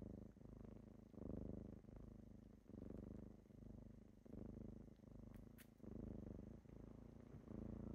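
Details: Purring kittens on a typical morning as they wake their owner, a continuous throaty vibration rising and falling in regular breaths under a second apart, with a couple of faint high ticks.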